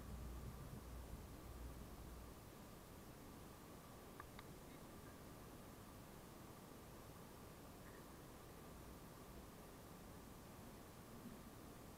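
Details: Steady hiss and low rustling outdoors near a house, with a few faint clicks and no animal voice.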